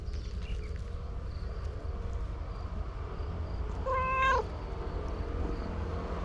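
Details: Stray cat at a fishing port, one of a white and an orange-and-white pair being petted and turning affectionate, gives one clear, tonal meow of about half a second over a steady low rumble, with faint chirps in the distance.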